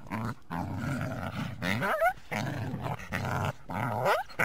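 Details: Coyote (Canis latrans), growl and yip.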